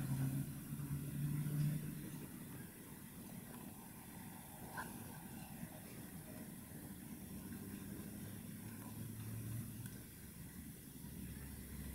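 A low vehicle engine hum runs throughout with faint background noise, and no animal calls are heard.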